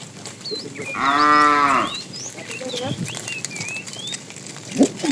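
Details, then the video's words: One short, rich moo lasting under a second from a fat cow calling a female while a tame herd is driven in the afternoon. Many small birds twitter around it, and soft clicks and movement follow. "The funny sound of a fat cow calling the female"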